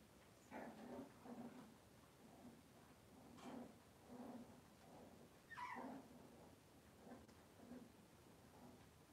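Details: Cavalier King Charles Spaniel puppies on an indoor kitchen camera on a cloudy Monday morning give soft, short whimpering yelps, about eight in nine seconds, one sharper rising yelp midway, over quiet room hum.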